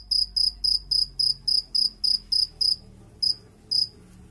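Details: Cricket chirping in quick even pulses about four per second, then slowing to two spaced chirps with short gaps toward the end, light low background noise.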